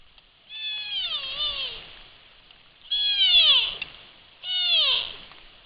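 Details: A Sitka black-tailed deer fawn calls its mother right at a trail camera microphone, giving three loud, drawn-out bleats with falling, wavering harmonics, the first longest at over a second, separated by brief pauses.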